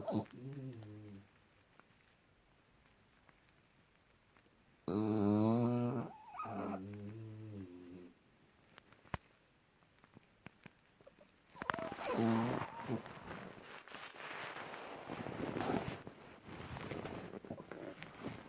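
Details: Deeply sleeping French Bulldog named Junior, January 2018: rattling, buzzy snores come in separate drawn-out bursts, some wavering in pitch, followed by rougher, noisier breathing snorts.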